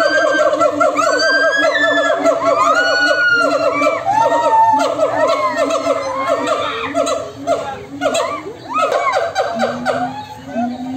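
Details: Monkeys exchange loud calls in a crowded chorus. Many overlapping, wavering whoops and rising, chattering notes stack on top of one another, thinning slightly toward the end as a lower hoot sequence takes over.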